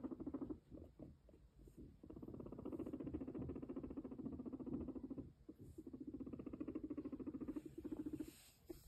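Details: A male guinea pig walks while purring in long, low, rapidly pulsed runs, pausing briefly between bursts; Guinea pig.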